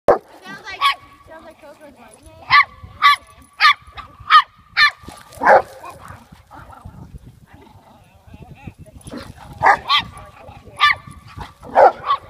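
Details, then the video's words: Teacup Chihuahua barking at a Rottweiler it keeps provoking; sharp high yappy barks in quick bursts of four to five, a pause, then another run, with people talking in the background. "Big bad Chihuahua vs Rottie"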